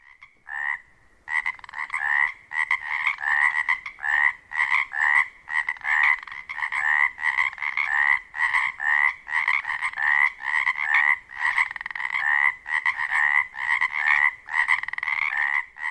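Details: In a spring wetland at dusk near Ozette Lake on Washington's Olympic Peninsula, Pacific chorus frogs, males under 2 inches long, give rapid two-part raspy croaks, many overlapping in a mating-season chorus to attract females.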